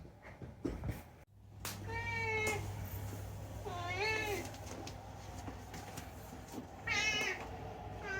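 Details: Talkative rescued pet cat indoors, answering a person calling it, with three clear meows: a long level one, a wavering rising-falling one, then a shorter bright one, over a steady low hum.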